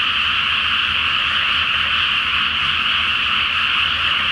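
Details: Dense frog chorus after dark in a flooded paddy ahead of rice planting, full flower moon reflected on the water; countless overlapping trills merge into one even, ringing roar.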